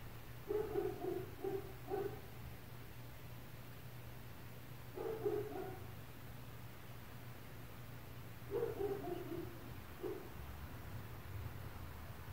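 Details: Muffled barking from neighbours' dogs heard inside an apartment at 4 o'clock in the morning, an hour into the noise: three bouts of quick barks in runs of three or four, separated by pauses of several seconds, over a constant low hum.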